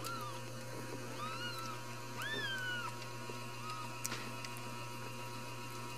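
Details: Ragdoll kittens raised in a home cattery in central Kansas, no cages: several thin, high mews, rising then falling, scattered across the clip against a steady electrical hum, with one sharp click near the end.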